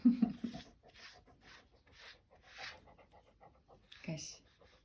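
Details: Labrador Retriever named Kasya during grooming indoors, breathing in slow rhythmic pants about twice a second, with a human voice at the start and a brief sharper sound near the end.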